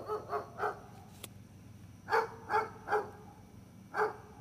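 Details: Barking from Gunner the dog: three quick barks, a sharp click, then a steadier series of four barks spaced about half a second apart, over a low constant hum.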